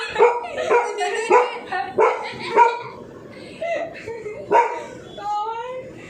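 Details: Dog terrified of a drilling machine barks repeatedly in quick, bright bursts, roughly every half second, then breaks into thinner yelping whines between barks.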